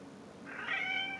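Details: Talkative pet cat giving one drawn-out meow lasting under a second, starting soft and swelling into a bright, high, slightly nasal tone before fading; quiet room background.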